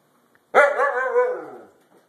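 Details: Pet Siberian Husky talking after bath time: a single drawn-out, wobbling howl-like moan that starts strongly, holds, then slowly fades, recorded indoors.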